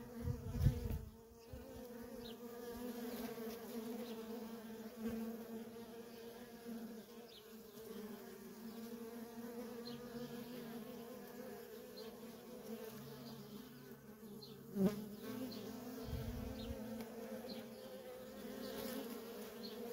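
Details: Worker honey bees in nonstop traffic at a feral colony, a steady low droning hum with a strong even tone and an octave overtone, with brief louder bumps near the start and middle.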